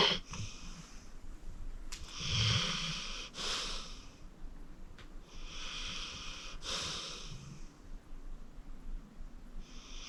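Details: Acorn, a 14-year-old senior pit bull rescued from the Cuyahoga County Animal Shelter, sleeps deeply and snores: breathy, hissing inhalations with a low rumble, spaced a few seconds apart in a quiet room.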